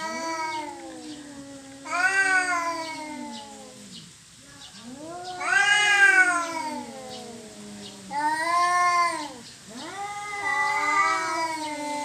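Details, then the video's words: Cats quarrelling over territory: a series of long, wavering yowls, each swelling and sliding up then down in pitch, in four loud surges separated by quieter moaning, with one brief gap near the middle. "Kucing Berantem Rebutan Wilayah"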